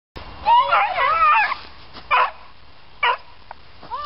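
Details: A hound gives a wavering, howling bay with rising and falling tones, then two short sharp barks about a second apart and a faint whine near the end.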